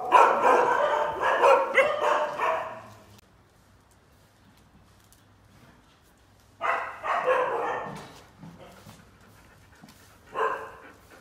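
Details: Injured dog, limping with a broken leg, barks in a rapid burst for three seconds, falls quiet, then barks again in two shorter bursts, with a faint low hum in the gaps.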